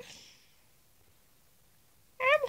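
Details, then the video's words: Pet cat in a quiet room: a soft breathy sound at first, then near two seconds of near silence, then a clear wavering meow with strong harmonics that is cut off at the end. "Cat Talking"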